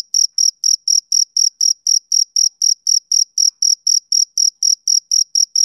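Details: A male cricket chirps on a summer evening. Each chirp is a crisp, high-pitched pulse, delivered in a regular train of about four per second. No other animals or noises are heard.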